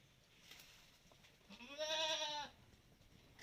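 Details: A Malabari goat on a farm, taken outdoors, gives a single harmonic bleat lasting under a second, rising slightly then holding steady, against a faint background hiss.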